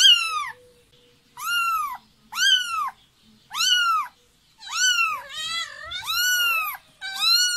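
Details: Kitten meowing for its mother's touch: a rapid run of eight bright, bending meows, the later ones longer and overlapping with a second wavering cry, in near silence between calls.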